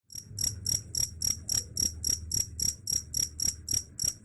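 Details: Cricket, said to drive rats away, chirping in a steady series of shrill, ringing pulses about four per second, each a short trilled burst, with a faint low hum underneath.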